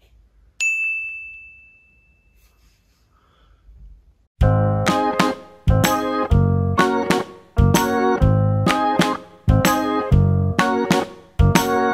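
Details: A single bright chime rings out and fades, then after a quiet pause, rhythmic bell-like background music plays to the end, with no animal sounds.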